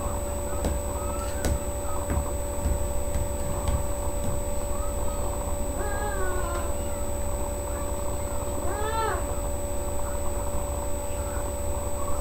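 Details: Domestic cat, a mother in labour, delivering three kittens at home on 14 May 2011, at times pushing; two drawn-out meows that rise and fall, midway and near the end, over a steady electrical hum, low rumble and faint clicks.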